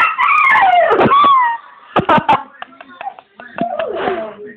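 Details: English springer spaniel named Ollie, singing at a bird in the garden: a high wavering howl sliding downward for about a second and a half, then scattered clicks and thumps and a few soft whimpering notes toward the end.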